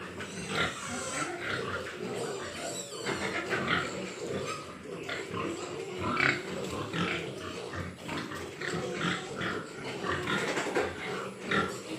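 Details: Large White Yorkshire pigs on a pig farm in Nadia, West Bengal, with dense overlapping grunts and short squeals throughout, a busy, continuous chorus of farm animals in a reverberant pen.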